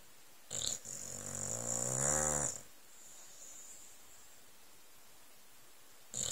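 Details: Sleeping old Staffordshire Bull Terrier on settee cushions under a blanket: a brief snort, then a long snore rising in pitch and loudness before stopping, followed by quiet breathing and another short snort at the end.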